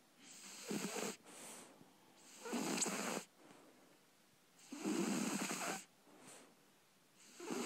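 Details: Libby, a three-month-old Shar Pei puppy, snoring in her sleep: long, breathy, rasping snores alternate with quieter pauses, each snore lasting about a second and returning every two to three seconds.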